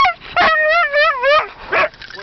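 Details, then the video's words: Husky dog prompted by people to sing happy birthday, giving a wavering, harmonic-rich howl that rises and falls, broken by short yips and a person's voice near the end. "husky sings happy birthday"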